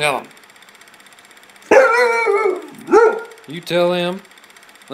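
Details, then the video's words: Spooked in the backyard by nothing at all, Sledge Hammer the dog barks in short, strained harmonic bursts, several in about three seconds, while a person chatters encouragement between them. "Sledge Hammer spooked"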